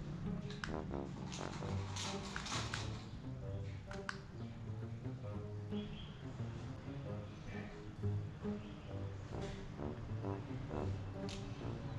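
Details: Upbeat music fills the room along with brief bits of speech and light tapping, and no animal voices stand out.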